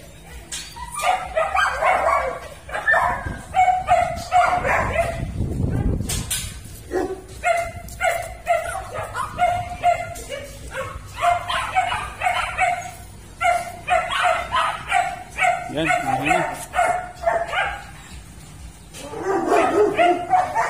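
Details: Pet Siberian Husky named Rudy keeps up a chatty series of whining, yodel-like yelps in clustered bursts, a dull thump near the middle, then more wavering cries over faint background music.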